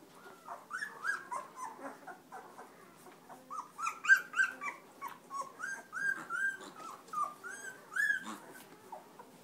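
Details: Black Labrador Retriever puppies from a December 2010 litter of six males and four females, nursing from their mother indoors; a dense chorus of high, squeaky whimpers and short rising squeals, overlapping rapidly throughout.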